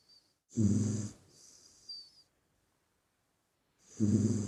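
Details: Snoring pup in deep sleep, two loud guttural snores three seconds apart, the first trailing off into a soft wheezy, whistling exhale.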